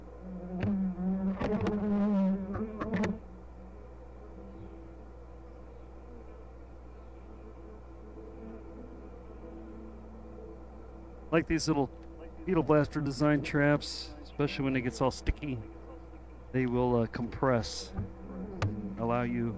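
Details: Steady low buzzing drone of a honey bee hive opened for inspection at "The Mountain", the colony heavy with honey and brood, with a long uninterrupted stretch of humming between passages of human speech.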